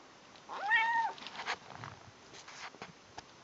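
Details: Female kitten calling while eating: one clear, rising then falling meow lasting about half a second, followed by soft clicks and chewing noises indoors.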